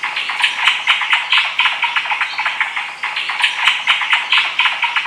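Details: Malabar giant squirrel (shekru) calling suddenly from tall trees in dense Maharashtra forest, taped on a home handycam: a fast, loud chatter of rough, rapid notes running continuously with brief swells and dips.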